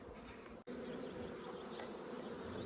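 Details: Newly arrived honey bee swarm with a green-marked Carniolan-type queen, about to be transferred into an empty hive; an intense, close buzz, briefly cut by a split-second gap, then resuming full and steady.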